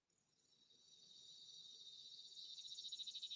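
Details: A single cicada's high, buzzing summer song, which starts softly and steadily ramps up in loudness.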